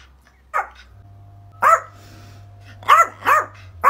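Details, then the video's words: Yorkshire Terrier at home giving short, high yappy barks, one alone then a burst of three close together, over a low steady hum in the background. "Yorkshire Terrier Barking Sounds To Make Your Dog REACT"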